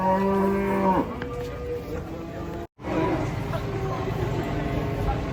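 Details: Unloading cattle from a truck: one strong, flat, low moo lasting about a second opens the clip, then a brief break and steady rumbling noise from the surroundings.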